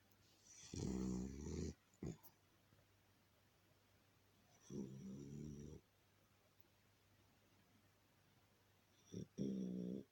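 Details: An English cocker spaniel snoring indoors: three low, rasping, rumbling breaths, each lasting about a second and spaced several seconds apart, with a short soft snort between the first two.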